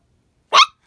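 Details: A female Chihuahua puppy that rarely barks gives a single sharp, high yap at geese she hears on the lake outside.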